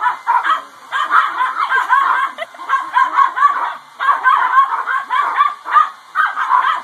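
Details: Dogs reacting to a running hair dryer with a dense run of rapid, rough barks and yips, grouped in bursts with short pauses between them, while the dryer's constant thin whine continues underneath.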